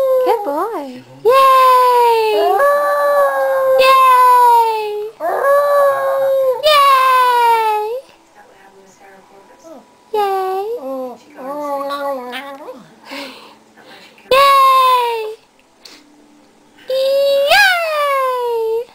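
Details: Pet dog howling and barking, prompted each time his owner says yay; long wavering harmonic howls rising and falling, several bouts separated by short pauses, with the owner's voice cheering and praising in between.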